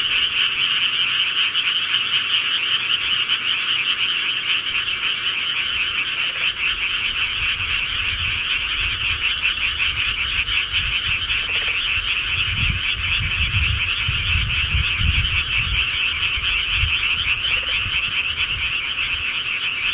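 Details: Night-time frog chorus from the countryside, a steady wall of overlapping croaking trills, joined in the second half by intermittent low rumbling, probably wind or handling noise.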